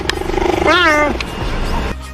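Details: Cheetah, one of the cat family's distinctive voices: a single wavering, bird-like chirp with stacked harmonics lasting about half a second, with a narrator's voice heard around it.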